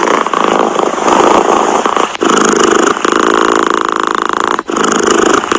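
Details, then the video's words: Purring domestic cat, a dense, grainy vibrating drone with two brief dips where the breathing changes direction, otherwise unbroken. "Tiếng mèo kêu gừ gừ dễ ngủ, thư giãn - The sound of a cat snoring helps you sleep"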